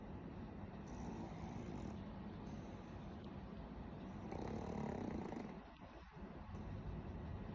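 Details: Pet pug Warabi dozing, one long, softer rasping snore near the middle stands out over a continuous low rumble of heavy breathing.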